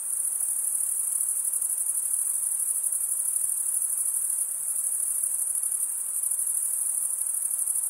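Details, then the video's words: Continuous high, pulsed cricket chorus produced by stridulation, the shrill trill holding an even volume with rapid, slightly irregular pulses and nothing else audible. "Most relaxing cricket sound for 8 hours"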